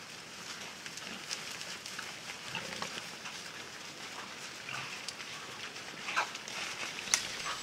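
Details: A group of wild boar on Kulikovo Field, a museum-reserve where hunting is banned, gives soft, low grunts amid rustling and snapping sounds.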